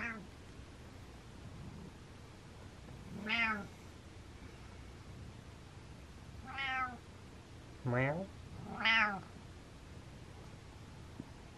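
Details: Happy house cat Butters makes a series of brief arched mrehs, one near the start, then four more spread across the stretch with the last two close together, over a soft background hiss.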